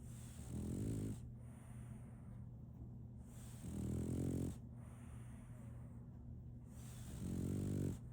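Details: A French Bulldog called Solaimy snoring as she sleeps: three loud, rattling, buzzy snores, each around a second long and about three seconds apart, over a low steady hum.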